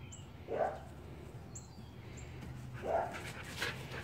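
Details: Kodi, a big fluffy dog, meets little Shiva for their first play session; two short, bright yelps about two and a half seconds apart over faint bird chirps and a quiet room hum.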